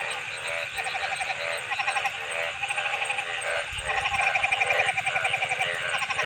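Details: Frogs calling together in a dense chorus: overlapping rapid pulsed trills and buzzy, ratcheting notes, repeated steadily with little pause, plus a brief low rumble midway.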